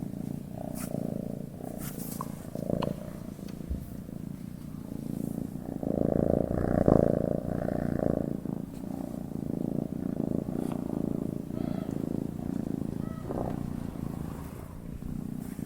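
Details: A sleeping domestic cat purrs steadily, a low rumbling vibration that swells and fades with each breath.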